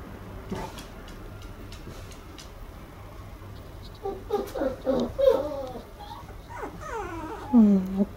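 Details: A 54-day-old red female Toy Poodle puppy whining: short wavering whimpers in a cluster, then a longer drawn-out whine sliding downward to a low, throaty end, over quiet indoor background.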